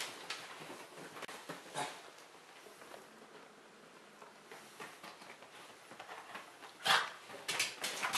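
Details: Two pet dogs, Kabu and Robin, indoors in a room, excited by a vacuum cleaner after returning from a walk; scattered sharp barks and yelps with quiet gaps, the loudest bursts near the end.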